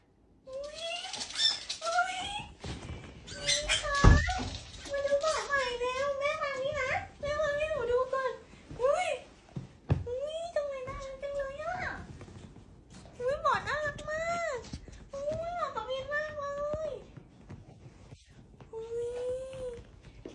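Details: A pet fennec fox, happy with its new bed, gives bursts of wavering, chirpy whines in quick, uneven runs.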